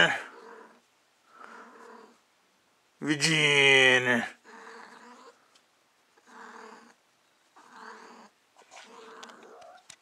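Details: A female cat in heat named Lucy lets out one loud, strained yowl lasting about a second, with soft murmured human talk before and after it indoors.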